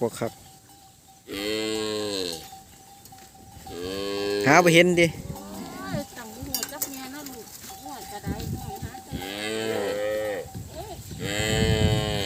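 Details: Crying calves that cannot find their mothers bawl again and again, with deep harmonic moos rising and falling and several animals calling over one another. A steady humming tone runs through the background.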